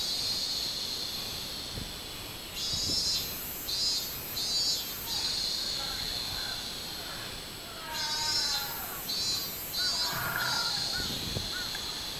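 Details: Robust cicada (minmin-zemi), 24 July 2016: two runs of buzzy high pulses, one near the start and one past the middle, separated by a steady hiss, with faint lower tonal chirps during the second run.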